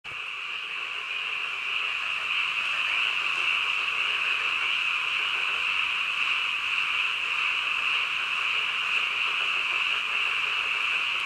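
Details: Frogs calling in the middle of the night: a dense, unbroken chorus of high trilling croaks merging into a steady shimmering drone, with fast pulsing throughout and no other clear sounds.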